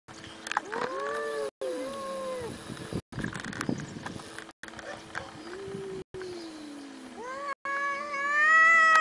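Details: Domestic cat meowing in a funny-animal compilation: several drawn-out, wavering meows, one long call sliding downward in the middle, then rising, strained meows at the end, over a steady electrical hum with some human voices.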